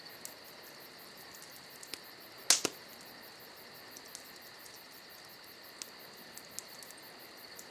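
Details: Crickets on a summer night keep up a steady high trilling drone with two even pitch bands. Just before midway, a sharp crackle and pop from a campfire cut through, with faint ticks of fire scattered around.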